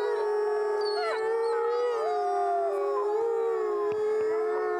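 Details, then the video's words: A gray wolf pack howls together in long, sustained tones around one pitch, with overlapping higher voices sliding up and down in a steady, full chorus. "Wolf pack howls"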